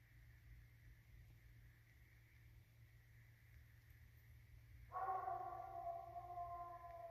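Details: Redbone Coonhound, one of two hounds named Beast Mode and Tater Tot, tracking and treeing a raccoon on 11/9/19. Quiet background for five seconds, then a long, drawn-out, rich harmonic bawl that holds steady to the end.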